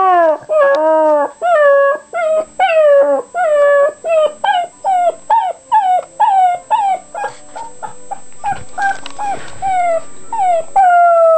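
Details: Puppy making weird noises: loud, evenly spaced whines, each sliding up then down, about two a second, with a brief scuffle near the end before the whining resumes.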